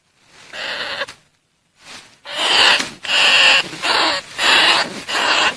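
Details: Greater bandicoot rat lure calls: a faint opening squeal, a brief pause, then a run of loud, raspy squealing bursts, each under a second, following one another almost without break.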